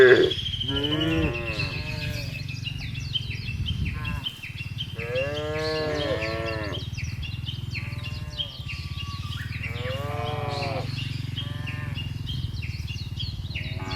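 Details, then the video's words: Cows in a field giving a series of wavering, harmonic moos in bursts every few seconds over a steady low engine-like rumble, with many small bird chirps scattered throughout. "FUNNY SOUND OF COWS IN THE FIELD..SUARA SAPI LUCU"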